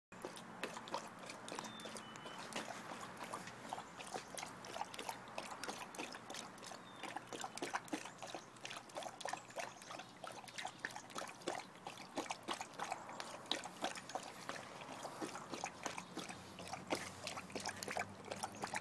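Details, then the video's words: A one-year-old Tibetan Mastiff laps water in fast, steady splashes, a wet rhythmic slapping of about three strokes a second that keeps going without a break. "Tibetan Mastiff Drinking Water"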